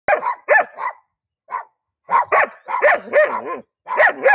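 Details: German Shepherd dog barking: sharp, loud barks in quick bursts, some doubled, a brief pause, then a run of longer, wavering barks.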